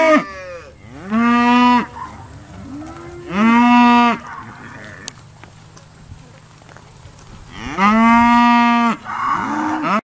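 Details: Irish Dexter cows lowing during a noisy day of sorting at Stone Meadow Farm: three long, loud harmonic moos near 1.2, 3.6 and 8.5 seconds, each rising then holding steady, with shorter lower grunts between and a quiet background.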